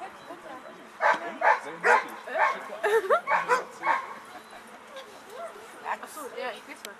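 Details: At a German VPG protection dog exhibition, the 11-year-old American Staffordshire Terrier Chefrem of golden Samurais gives a run of about eight loud, evenly spaced barks, then fainter ones, over a murmuring audience and background voices.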